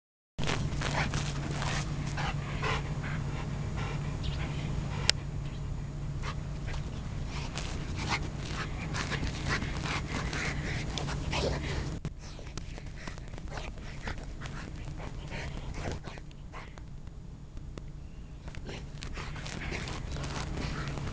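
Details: Golden Retriever, excited while playing for the first time with a toy chicken that sounds only when touched, panting and snuffling in rapid irregular bursts over a steady low household hum.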